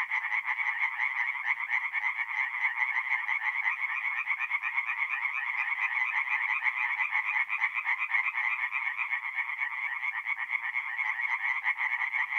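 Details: Tree frogs in full song by night at a north-east Italian forest pond in mid-April, a packed chorus of fast, grating croaks merging into one continuous pulsing drone.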